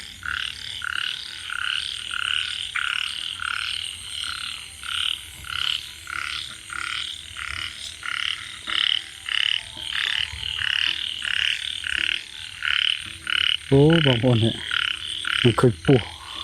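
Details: Frog that reportedly chased off a snake, calling with harsh, raspy croaks repeated about twice a second in a steady series, with a short burst of a man's voice near the end.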